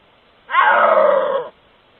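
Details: Caught on a trail camera in its natural habitat, a wild snow leopard gives a single eerie, drawn-out yowl, harmonic and moaning rather than a roar.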